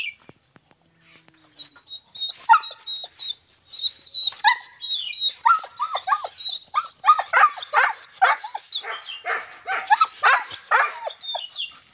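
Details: German Shepherd in Azamgarh, offered as a stud in a trade for two females, barking in short repeated bursts that grow louder and denser after a quiet start, with faint high tones throughout.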